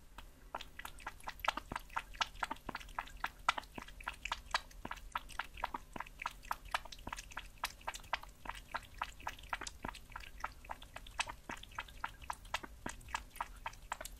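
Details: Cat eating raw meat: a steady run of sharp, dry clicks and wet smacks, about four per second, with a faint low hum underneath.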